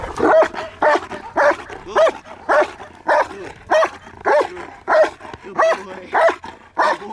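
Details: Guarding exercise with a German Shepherd: loud rhythmic barking, about a dozen sharp barks spaced roughly half a second apart, steady and insistent throughout.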